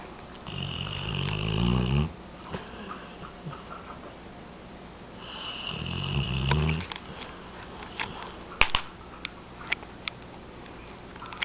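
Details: Miami Blue Pit Bull dog snoring loudly indoors while asleep and dreaming; two long rasping, rattling snore bursts about four seconds apart, then quieter breathing with scattered small clicks and taps in a small room.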